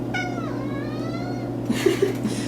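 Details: Pet domestic cat indoors, said to have a lot to say right now, giving a long falling meow with a steady hum behind it and faint handling noises toward the end.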